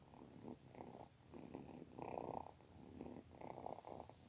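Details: Low rhythmic purr from a kitten, short grainy pulses repeating about every half second, loudest near the middle.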